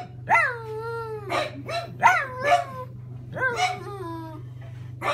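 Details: Pug vocalizing at a grocery delivery at the door: short rising yelps bending into falling howled tones, sharp barks between, four or five bursts in a few seconds, with a constant low hum behind.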